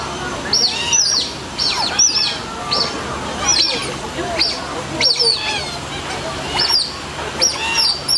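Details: Asian small-clawed otters at Singapore Zoo give high, sharp squeaky chirps in quick clustered bursts, several notes sliding downward, repeating roughly every second through the clip, with faint low background hum.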